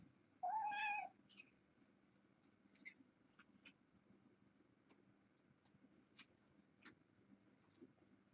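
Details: Kitten, one of a litter of four females and two males born August 29th to a family pet and fostered via Purrfect Pals. Evening on 10-31. One loud, rising then falling meow near the start, followed by faint clicks and soft background rumble.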